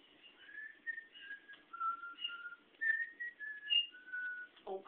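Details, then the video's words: Old female Great Dane, a whistler since very young, puffs her cheeks and purses her lips to whistle indoors. She gives a wandering series of short, clear notes that step up and down, urged on by a person. "Old Dog WHISTLES"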